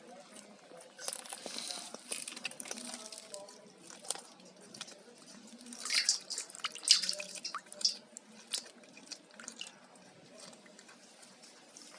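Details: Wet dripping and squishing sounds in a small indoor room, with sharp bright drip clicks clustered around the middle and faint speech-like murmurs low in the background.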